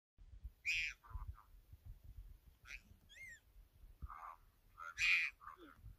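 A leopard cub gives harsh, high mewing cries, calling out for its mother.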